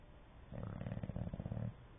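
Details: English Bulldog snoring while asleep: one low, rattling breath of about 1.2 seconds made of rapid fluttering pulses, rising out of quiet room tone and fading back.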